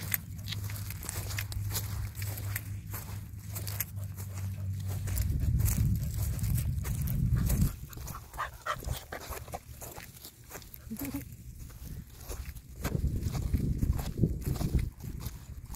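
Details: American Staffordshire Terrier stud guard dog on a tie-out, panting in fast rhythmic breathy puffs, about three or four a second, over a low droning rumble that swells midway then fades to quieter, sharper breaths.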